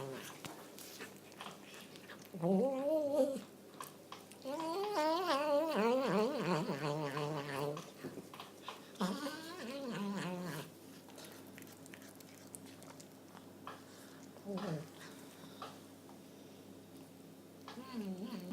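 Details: Indoor cat making funny noises: bursts of warbling, trilling yowls with a rapid wobble, in groups around three, six and ten seconds, separated by quieter gaps with faint room noise.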